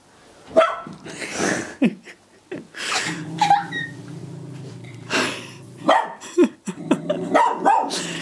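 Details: Cocker spaniel barking in a living room at her own reflection, treating it as an intruding dog; sharp single barks at irregular intervals, about six in eight seconds, over steady background music.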